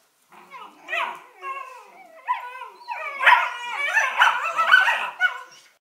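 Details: Collie puppies Norris and Amica, eleven weeks old, chatter in a yodelling, howl-like run of tonal whines that bend up and down, starting quietly and building into a loud, continuous, rising-and-falling vocal stream.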